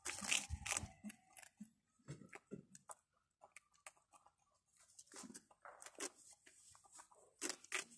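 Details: Little rabbits eating food indoors, a small room: irregular crisp crunching and tearing bursts of chewing, loud at the start and end with quieter gaps between bites.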